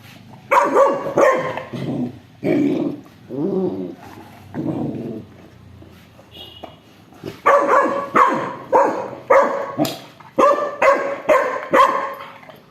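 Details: Dogs, an aggressive Rottweiler and a two-month-old Labrador puppy, in a fight over a stolen toy: a run of loud, harsh barks, some paired, with a short pause midway before a fast volley of repeated barks.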